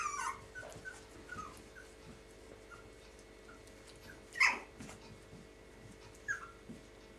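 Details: Baby Yorkshire Terrier pups playing with their mother: thin, high squeaky whimpers open the clip, a few short squeals follow, then one louder broadband yelp or scuffle burst midway, with faint rustling throughout.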